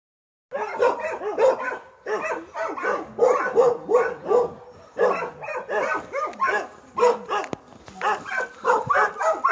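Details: Newfoundland dog, a very large breed, barking in a steady series of deep, rhythmic woofs roughly every half second, with brief pauses, plus a person's voice nearby.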